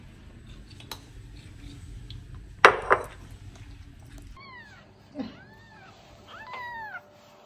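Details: Pet cat indoors giving a few short, quiet, arching mews in quick succession after a sharp knock and rustling.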